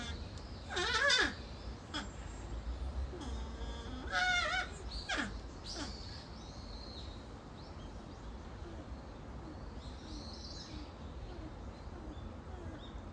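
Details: North American porcupine named Leaf at Higashiyama Zoo and Botanical Gardens, Nagoya, Japan, facing another porcupine, Kaede, and not discouraged. Whiny, harmonic, wavering calls come in short bursts near one and four seconds, then a fainter call, over steady background hum.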